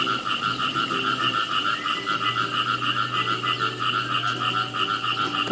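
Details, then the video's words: In a natural rice field free of pesticides, khiat i mo frogs keep up dense, rapid ratcheting croaks at about three per second, continuous throughout, over a quiet low drone. "เขียดอีโม่ผิดคิว จับคู่ข้ามสายพันธุ์"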